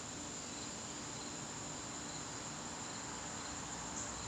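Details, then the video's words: Evening crickets in a September garden produce a level, piercing ringing trill that never pauses, over soft background noise. "garden crickets"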